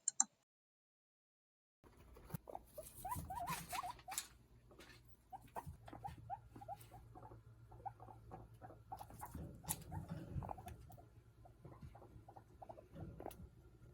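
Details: Guinea pig; vocalizations; communicating with each other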